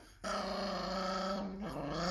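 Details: Chihuahua giving one sustained, steady low growl lasting about a second and a half, dipping slightly in pitch near the end.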